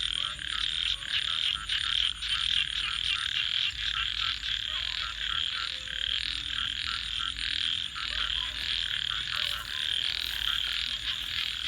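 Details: Frogs at night near a campfire keep up a thick chorus of high, rasping trills that swells and dips in rapid pulses, over faint low murmuring sounds.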